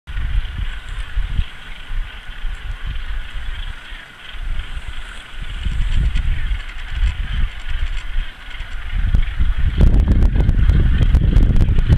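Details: Low rumbling wind buffeting, growing louder with crackling gusts near the end, and no clear animal calls.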